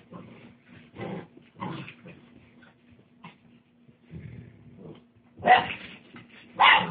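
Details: Tosa Inu puppies kept for sale give short yelping barks and whimpers in scattered bursts, with two louder sharp yips near the end, over a steady low electrical hum indoors.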